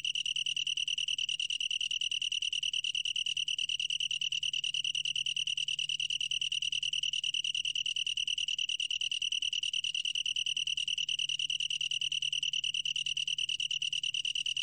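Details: Long-tailed tree cricket singing without pause, recorded by the National Institute of Biological Resources in 2020; the high, clear trill pulses quickly and regularly, accompanied by a faint low hum.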